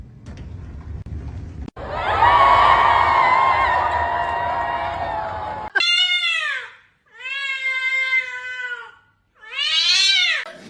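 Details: Kitten meowing: after a broad noisy stretch, three clear harmonic meows, each arched and about a second long, separated by short gaps, with a person's voice nearby.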